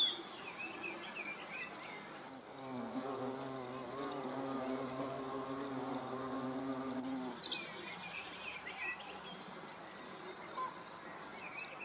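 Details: Hornets filmed in front of a camera on 30 June 2020. A low, droning buzz with stacked harmonics swells in the middle of the recording. Scattered high bird chirps are heard before and after it.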